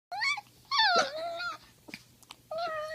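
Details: Poodle making funny noises: three bursts of high, wavering whines and yelps with bright stacked overtones, the middle one sliding downward, separated by short quiet gaps with faint snuffling.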